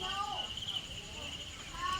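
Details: Caged cricket giving a continuous high-pitched trill, held steady and unbroken for the whole two seconds, while people talk over it at the start and again near the end.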